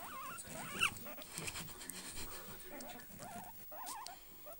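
A guinea pig gives wavering, warbling squeaks in short bursts, with soft rustling behind.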